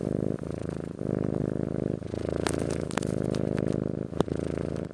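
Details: Purring Persian–Siamese cross cat, steady low rumbling purr throughout with a rhythmic pulsing texture, briefly interrupted by a few soft clicks and rustles.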